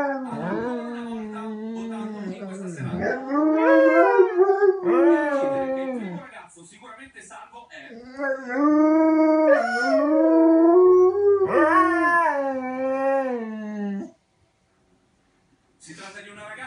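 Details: Dogo Argentino calling for its mother with long drawn-out howls indoors; each wavering, tonal howl bends up and down in pitch and lasts several seconds, with a brief pause and a soft human voice between bouts.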